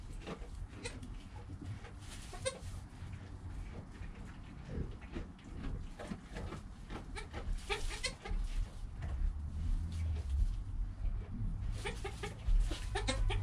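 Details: ['Joel, a newborn goat kid in his first hour of life, recorded on a GoPro with his mother Penny nearby; scattered short, nasal bleats break through rustling and a steady low hum.']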